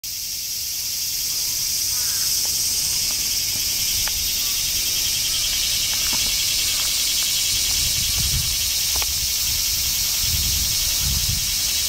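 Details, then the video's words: Cicadas behind Himeji Castle in Himeji, Japan, fill the air with a dense, continuous high-pitched hiss that never pauses, with faint clicks and low rumbles beneath. "Himeji cicadas"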